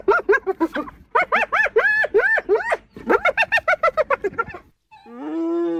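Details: Laughing hyena: a fast run of short, arched, yelping notes repeated several times a second in three bursts, followed by a single long, level moaning note.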